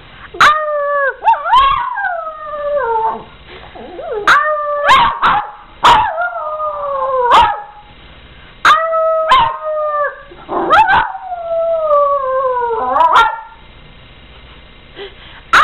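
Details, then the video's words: Dogs howling together as a person howls along to prompt them; long tonal howls that slide downward, several voices overlapping, broken by sharp yips and short gaps of quiet. "Howling Dogs"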